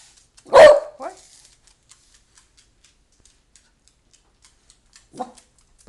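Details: Scooter, a pet dog eager to go to the library, gives one loud sharp bark followed by a short whine, then near silence and brief human speech near the end.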